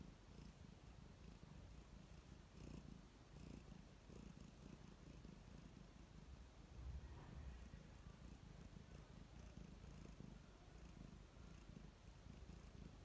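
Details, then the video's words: Contented house cat purring up close while relaxing: low, buzzing purr rising and falling with the breath, steady for the whole stretch, with faint soft clicks near the middle. "Cute Cat Purring"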